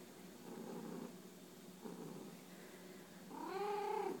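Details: Pet cat bunting its owner, two rumbling purr bursts followed by a short, clear, slightly falling meow at the end.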